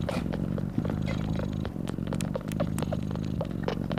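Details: A nursing mother cat purrs loudly beside her newborn kittens. Her steady throbbing low drone runs unbroken, overlaid with frequent brief clicks and smacking noises.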